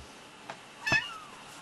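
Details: Highlander cat, a large rare breed described as a lynx hybrid, heard indoors giving one short meow that slides downward, preceded by a faint brief chirp, against steady background hiss.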